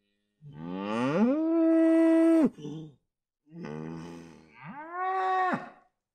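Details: A cow gives two long, clear moos. The first rises, then holds a steady tone for over a second. After a short grunt and a pause, the second scoops upward and levels off before fading.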